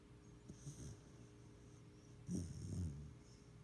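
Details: Pet dog napping under a kotatsu beside its owner, snoring: two low rumbling breaths, about two seconds apart, the second louder and longer, with faint hiss in quiet room.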